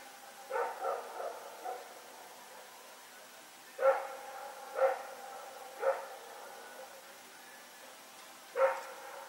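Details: Nighttime barking from Rex and a companion dog running around, recorded September 21, 2018 at Pyrga. A quick cluster of softer barks opens, followed by four louder, evenly spaced barks roughly a second apart, with a longer pause before the last.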